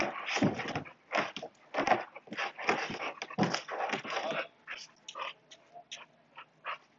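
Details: Playing Saint Bernard puppy producing rapid, uneven bursts of rough growly and whining sounds, about eighty per minute, growing softer and more spaced toward the end.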